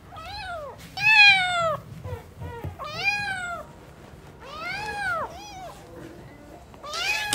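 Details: Newborn kittens at play make a string of bright, arching meows, about five or six in seven seconds, one loud and high near the start, with faint low rumble beneath.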